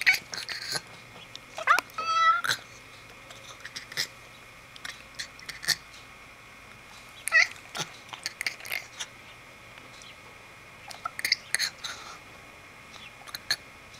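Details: Orion, a Bengal cat, 'talking' indoors: a drawn-out harmonic meow near the two-second mark, then a brief chirping meow around seven seconds. Scattered clicks and thumps of movement fill the gaps in a small room.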